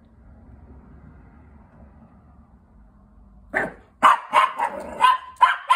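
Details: Nippy, a female Chihuahua acting as a watch dog indoors, stays quiet for three seconds and then breaks into a rapid run of about six shrill, yappy barks, roughly three per second.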